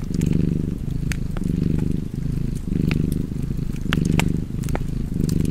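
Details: Relaxed cat purring, a throaty low rumble pulsing with slow breaths a little under once per second, while fireplace embers crackle and snap in the background.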